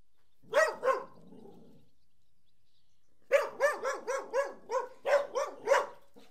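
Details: Two Collies barking: two sharp barks, a pause, then a rapid run of bright, clipped barks.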